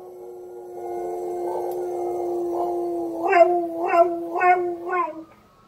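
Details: A Border Collie holds a long, steady howl, then breaks into four quick wavering yelps, imitating a fire truck siren.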